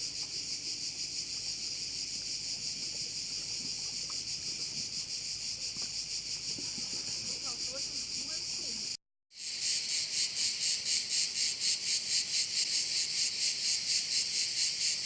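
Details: A chorus of crickets by a bay on Korčula in Croatia. The shrill, continuous high buzz pulses rapidly throughout, with a brief silent cut near the middle and soft low background sounds in the first half.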